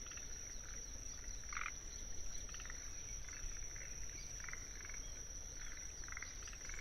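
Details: Wetland soundscape at Tsuruoka, Japan, 19 June 2021, with forest green tree frogs giving soft, brief clucking notes scattered through the clip, behind a constant shrill trill of Kinhibari crickets.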